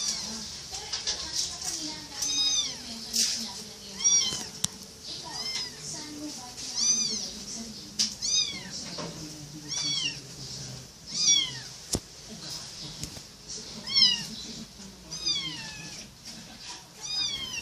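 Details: Kitten giving many short, high, rising-and-falling mews, in quick irregular series, several every few seconds, with a person's voice and rustling underneath.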